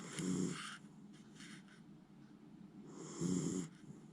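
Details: Miniature Schnauzer Jiji fast asleep, snoring loudly after tiring out and not stirring. Two hoarse, low rumbling snores about three seconds apart, each paired with a breathy hiss, with quiet breathing between.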